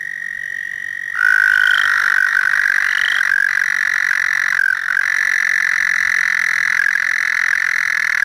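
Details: American toad, calling from water from about April onward, gives a long, steady, high musical trill that holds on one pitch without a break.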